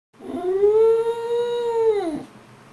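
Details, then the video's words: Dog giving a single long, moo-like howl lasting about two seconds, steady and level in pitch with rich overtones, dropping at the end, indoors. "Mooing Dog!!!"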